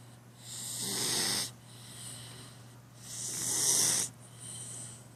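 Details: Snoring cat with two long rasping, hissy breaths separated by a quieter exhale, slow and steady rhythm, a faint low hum in the background.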